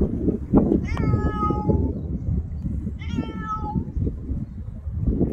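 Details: A ginger domestic cat gives two clear, drawn-out meows about two seconds apart, each starting bright and sliding downward in pitch at the end, over a steady low rumbling background noise.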